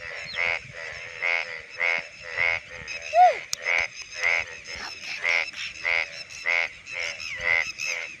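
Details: Indian bullfrog, a rain frog heard in the monsoon, with males calling from shallows while breeding. Harsh, rattling croaks come in a steady series about twice a second, with a brief falling whistle in the middle.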